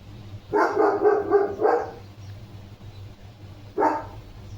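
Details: Leo, a German Shepherd, playing with a water mug held in his mouth at home, gives a quick run of loud barks over about a second, then falls quiet before one more short bark.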